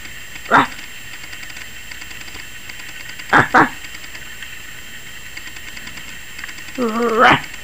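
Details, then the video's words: A 21-week-old Yorkshire Terrier puppy barks wildly, seemingly frightened by the camera. One sharp yap is followed by a quick double yap about three seconds later, then a wavering whine that rises into a final bark. "Yorkie Puppy 21 Weeks Barking like CRAZY! and scared of the camera"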